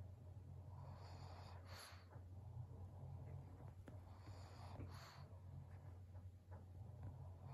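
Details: Snuffly breaths from Maria, a senior 12-year-old fawn female pug at home in Japan in November 2022, with two louder snorts roughly three seconds apart, faint talk and a constant low hum behind.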